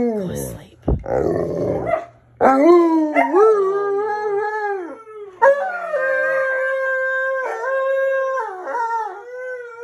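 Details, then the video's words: Alaskan Malamute, mad at being woken early, howling alongside a second dog: after brief speech and music, long sustained wavering howls begin, rich in overtones, sliding up at each onset then holding steady, several overlapping voices. "Talking Malamute Tells Why He’s Mad"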